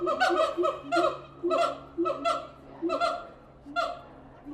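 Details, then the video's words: Captive siamang apes at the Tulsa Zoo give loud, harsh honking barks in quick bursts, several per second, with short pauses between groups; rich nasal tone and no other clear sounds. "Siamang apes making noise at the Tulsa Zoo"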